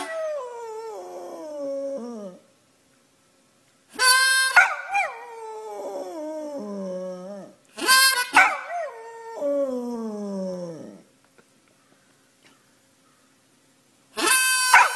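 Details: Bod, a pet dog, sings the blues with its owner: drawn-out falling howls answer short loud harmonica bursts, each howl gliding downward for several seconds, with silent gaps between the exchanges.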